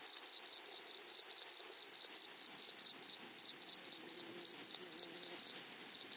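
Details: Grasshoppers in a flowery meadow or prairie, a dense high-pitched shimmering chorus of rapid, buzzy pulses running steadily throughout, with faint low murmurs underneath.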